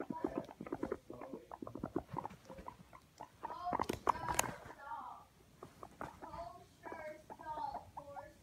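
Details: Several pet guinea pigs caught escaping indoors by a phone placed on the floor; rapid short squeaks and chirping bursts come in clusters, with a loud rustling clatter midway before quieter chirps resume.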